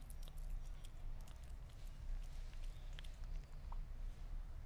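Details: Sphynx cat eating meat, close up: irregular sharp wet clicks and crunches of chewing and biting, scattered over a few seconds, above a steady low rumbling hum in a small indoor room.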